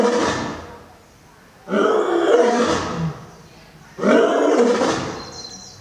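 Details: Lion, old and young lions: two long, harsh, rasping roars, each surging loud then fading over about two seconds, with a shorter tail of a third at the start.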